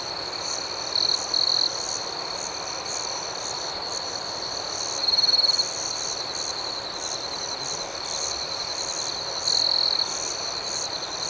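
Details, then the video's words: Crickets at night: a steady, high, ringing trill with a faster pulsed shimmer above it, broken by three louder buzzing bursts of about half a second each, spaced roughly four seconds apart. "Soothing Cricket Sounds"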